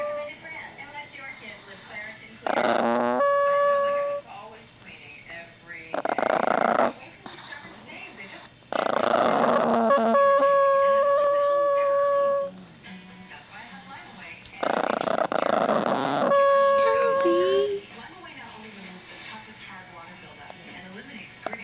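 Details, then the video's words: Baby Chihuahua whining and growling: steady, flat, nasal whines held for a second or more, alternating with loud rough growly bursts in about four bouts, with quieter pauses between them. "baby Chihuahua whining"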